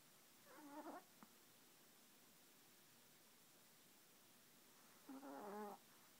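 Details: Yorkshire Terrier asleep and snoring: a short nasal, buzzy snore, then a longer fuller one about four seconds later, with faint room hiss between breaths.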